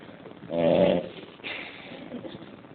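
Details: Pet female bulldog named Dora snoring: a single short, rough, throaty rasp lasting about half a second, followed by softer breathing noise.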